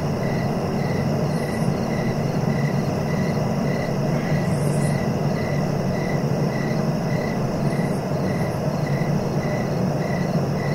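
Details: Crickets calling at night-style pace for sleep: a monotonous pulsed chirp repeating about every half second, occasional sharp high bursts from other insects, and a continuous low rumble underneath.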